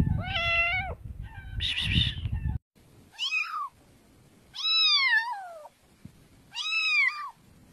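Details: Cats meowing indoors: several drawn-out harmonic meows, some rising then falling, one long descending, separated by short pauses, with low rumbling noise under the first two calls.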